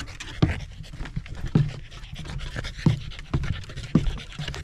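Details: Pembroke Welsh Corgi hiking Mount Jinbagata, a rural mountain facing the central Japanese Alps and Ina Valley, on a sunny autumn day before the leaves turned; breathy panting under sharp crunchy steps that recur about once a second.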